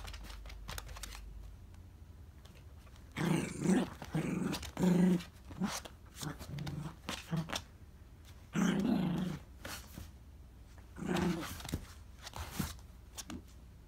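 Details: Miniature dachshund indoors, battling a gachapon capsule toy that slipped into a gap. Low, rough growls come in several drawn-out bursts of a second or so, separated by quiet stretches of light tapping and scuffling.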